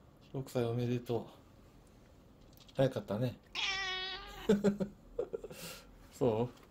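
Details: Siamese cat Shamue, a rescued pet, in footage mostly from 2017: a single drawn-out, slightly wavering meow lasting about a second, set among several short bursts of human speech.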